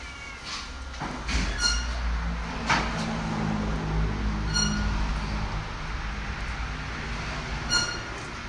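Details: Domestic cat eating bok choy gives short harmonic meows, about three clear ones spread over several seconds, over a steady low engine-like rumble.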